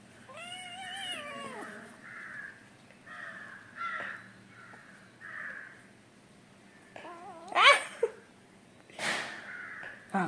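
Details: Angry, naughty pet kitten named Kunjan meowing indoors: one drawn-out, wavering meow that falls in pitch at the end, then quieter bursts, a few sharp noises and a person talking nearby.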